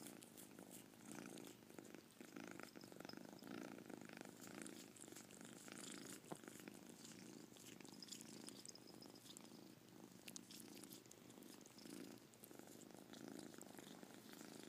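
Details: Purring from Caspurr, a domestic cat whose purr carries a chirp: a continuous low rhythmic rumble rising and falling with each breath, plus scattered faint clicks and rustles.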